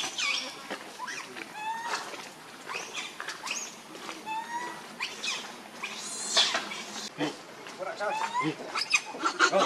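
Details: Baby monkey Rainbow, also called Leo, hungry and angry, crying and begging its mother for milk: shrill, tonal cries that rise and fall, repeated in quick bursts, louder near the end, with human voices in the background.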